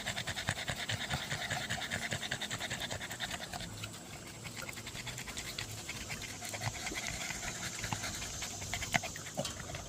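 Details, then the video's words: Winded dog after a burst of zoomies, fast rhythmic breathy panting at roughly 146 breaths per minute, steady throughout with a soft low hum in the background. "Aftermath of ZOOMIES"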